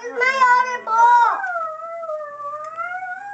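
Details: Anubis, a pet miniature pinscher mixed with a bigger dog, singing along with a harmonica indoors: a few harmonica chords, then a long, smooth, wavering howl that dips slightly and rises again, with nothing else heard.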